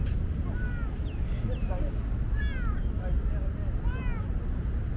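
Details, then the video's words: Hot-day thirsty tabby, a chatty female, gives a run of short meows, some sliding downward, roughly one per second, against continuous low rumbling background noise. "Very talkative tabby is thirsty."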